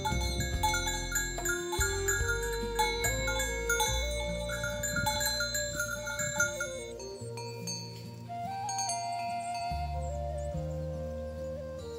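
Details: Chiming xylophone-style melody with a light flute-like line and pulsing low notes fills the recording, with no cattle or other animal calls audible.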